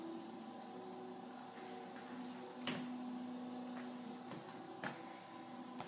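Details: A steady indoor hum with a few sharp clicks and a brief sliding, door-like sound; no animal can be heard.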